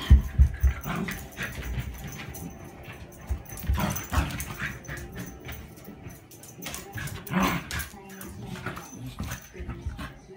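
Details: Female Pembroke Welsh Corgi named Hina, born 8 July 2015, playfully nipping at a grandmother fresh from her bath; short sharp yips and growly bursts stand out at scattered moments over low thumping, rustling and human voices.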